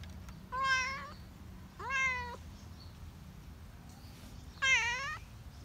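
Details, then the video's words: Countryside cat meowing three times, each call brief and nasal with a slight rise then fall, roughly a second apart, over a low background hum. "Meow meow, cat at countryside"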